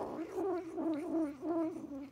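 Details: Ragdoll foster kitten in the Vancouver area, Canada, growls low and steadily, guarding a jerky treat and warning others away when asked to give it up.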